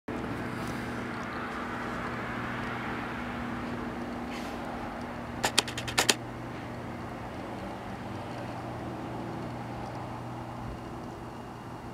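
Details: Steady low hum and broadband background noise run throughout, broken by a quick cluster of sharp clicks near the middle, with no animal sound.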